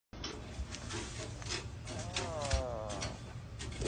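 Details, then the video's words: Frog screaming when touched by a dog, letting out a drawn-out, wavering, catlike cry midway through, amid rustling and clattering noises. "Frog Screams Like Cat"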